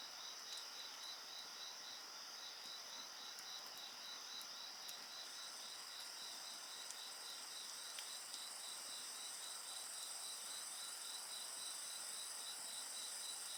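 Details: Night insects keep up a dense shrill chorus: fast pulsed chirps in a row, steady ringing trills above, a higher whine rising midway, and scattered snaps of a burning campfire.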